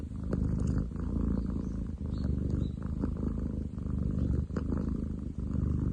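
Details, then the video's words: Ten chan, a male long-legged munchkin cat, purring hard on 30/07/2023; a steady, coarse low drone, almost motor-like, broken by brief breath pauses roughly every second and a half. "工事現場並みに喉を鳴らす猫。Cat purr like construction site!?"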